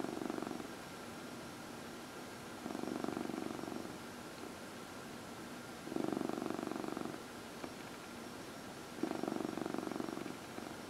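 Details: Domestic cat, one of four cats in a home, purring while being massaged; soft low rumbling bursts of about a second, returning roughly every three seconds in a quiet indoor room.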